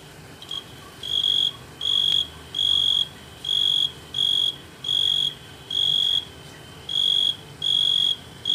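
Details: A tree cricket on a Euphorbia milii plant gives steady, high trilled bursts, each about half a second, repeated rhythmically.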